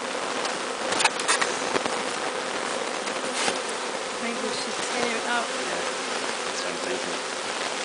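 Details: Honeybee swarm, captured from the top of a large tree, being walked into a new hive: a dense, continuous buzzing hum with a steady band of tone, broken by brief clicks and taps.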